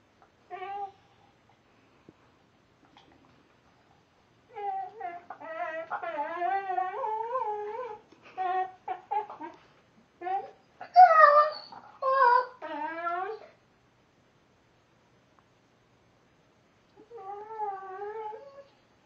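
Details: Vizsla named Gussy whining while chewing his nails indoors, a daily habit; wavering harmonic whimpers in bursts with quiet gaps, some brief higher yelps in the middle, then a final drawn-out whine.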